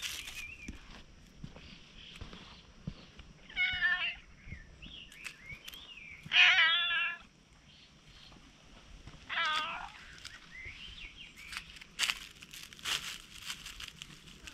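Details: Cautious stray cat drawing near, recorded on a GoPro: a few separated meows, the middle one loudest and wavering, with thin chirpy sounds and clicks between calls.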